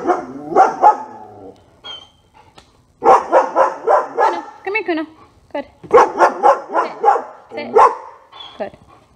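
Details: German Shepherd during a dog training session, barking in rapid bursts of sharp, loud barks grouped in clusters of three to five, with short pauses between groups.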